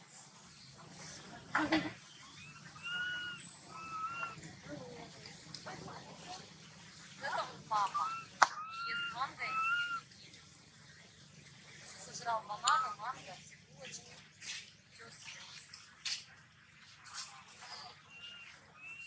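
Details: Young monkey Maddix cries on and off without reason, comforted by his sister; scattered thin, arching squeaks come in clusters across the stretch over a steady background hiss and occasional knocks.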